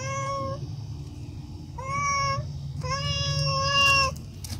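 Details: A cat begging for food with three clear, steady-pitched meows, the last longest at over a second, set against a constant low hum in a quiet room.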